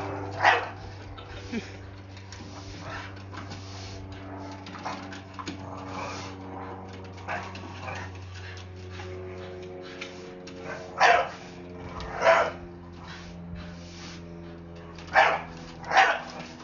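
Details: Blue Staffordshire Bull Terrier, scared of a broom and telling it off: a human voice and whiny tones fill most of the stretch, then sharp barks ring out in pairs near the end.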